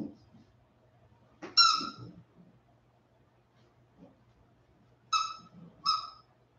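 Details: After an outdoor break, West Highland White Terrier puppies aged 47 days let out one high whine after a scuffle, then, following a lull, two more short piercing whines under a second apart, with soft rustling between.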